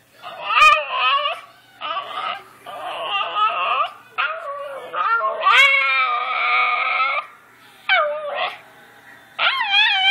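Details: Miki, a pet dog, talks back with a run of whining, yodel-like vocal phrases, each bending up and down in pitch, delivered in bursts of about one to two seconds with brief pauses between.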